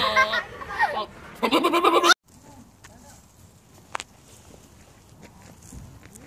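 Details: Domestic goat bleating in two loud, wavering, nasal bursts in the first two seconds, the second longer and quavering. The rest is quiet, with faint background noise and a single sharp click.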